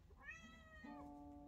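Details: Pet cat Chamchi, a female, gives a short rising meow followed by a level held note while her owner begins singing an Adele song with her indoors.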